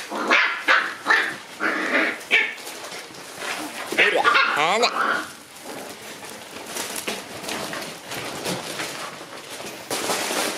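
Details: A Shiba Inu puppy that loves tunnels gives a run of short, high yapping barks, about four within the first two and a half seconds, then drawn-out whiny cries near four seconds, with rustling and human voices throughout.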